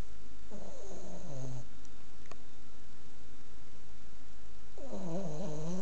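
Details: A Boston Terrier asleep and snoring very loudly. Two drawn-out snores bracket a quieter stretch. Each is a wheezy, harmonic tone that drops in pitch as the breath ends, with a faint click in between.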